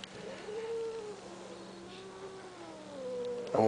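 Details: Chased blind cat lets out a long, low, moaning yowl lasting about three seconds, slowly dipping and then rising slightly, before a person speaks again.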